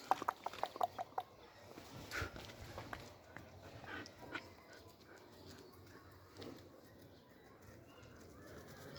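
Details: Three-month-old German Shepherd puppies, a male and a female, indoors: a quick run of short, high yips or whimpers in the opening second, then scattered softer sounds, scuffling and handling noises.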